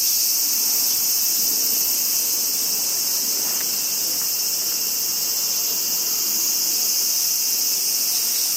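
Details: Japanese summer crickets chorusing: a continuous, bright, high-pitched pulsing trill at even loudness, a couple of faint brief clicks in the middle, otherwise calm.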